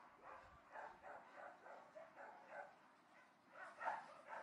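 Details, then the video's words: Several dogs barking at a distance, heard as muffled, rapid yaps running together in an almost continuous rhythmic chorus, softening around the middle and swelling again toward the end. "Barking Dogs at a Distance"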